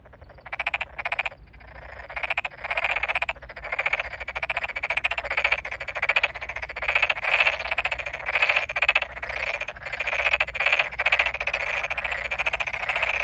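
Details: Tokyo Daruma pond frogs in full chorus in a rice field just flooded with water, 8 May 2022, some calling very close by; dense rasping pulsed croaks overlap almost without pause, only one short gap near the start.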